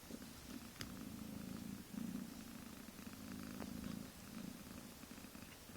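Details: Mother cat of kittens a few weeks old purring up a storm: a steady low rumble broken into short pulses, fairly quiet, with faint clicks and handling noises.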